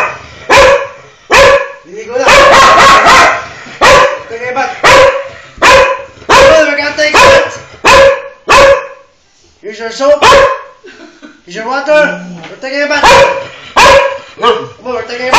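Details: Dog being bathed, refusing to bathe on command, barks loudly and sharply about once a second, with brief pauses and a run of rapid barks near the start; human voices speak in the gaps.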